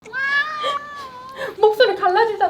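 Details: Pet cat with a hoarse voice after meowing a hundred times: a long drawn-out meow followed by cracked, broken meowing, with a person speaking over it.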